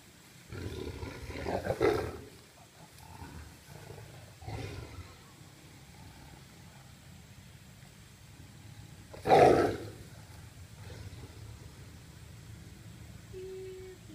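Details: Siberian tigers fighting, filmed with a GoPro, giving two loud, harsh, rasping roar bursts about seven seconds apart, with lower growling rumbles between them.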